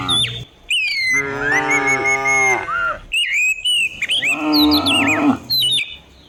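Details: Cows driven down the hill in the morning through quiet village countryside give two long, rich moos, the second rising and wavering, against busy chirping and whistling birds.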